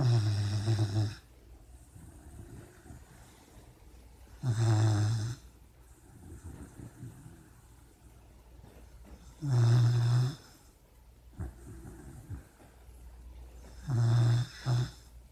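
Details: Puppy snoring in its sleep while dreaming: four loud, deep, rasping snores come roughly every five seconds, each lasting about a second, with softer breathing and faint snuffles in between.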